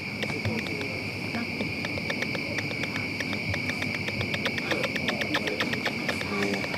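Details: Bats circling overhead and hunting insects on a moonlit early-September night in Whitnall Park give echolocation calls, made audible by a bat detector as rapid, dry clicks and pops from several bats at once.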